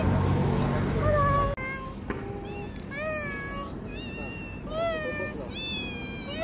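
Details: Street cats in November 2023 giving a series of short rising-and-falling meows, several in quick succession, over steady traffic rumble, with a woman speaking briefly near the start.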